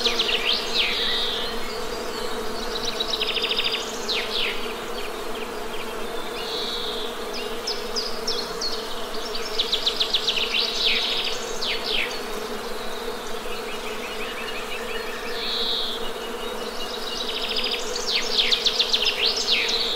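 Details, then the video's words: Continuous honey bee hum forms a low, even drone for the whole stretch, while several birds sing bright chirps and fast trills in repeated bursts above it. "Best Honey Bee Sound!"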